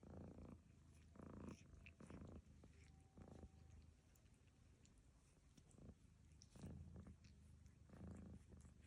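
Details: Cat Lucy snoring while being groomed by cat Barfi; rasping low bursts open and close the passage, with a quieter, smoother stretch of rumbling in the middle.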